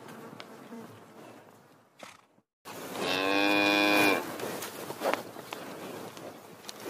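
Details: Cow mooing once: a drawn-out, strongly harmonic moo lasting about one and a half seconds after a short silent break, with faint clicks and low background noise before and after.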